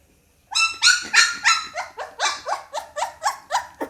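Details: Young Pit Bull puppy giving a loud series of about eleven sharp, rising-then-falling squeaky yelps in quick succession after a half-second of silence, each bright and rich in overtones.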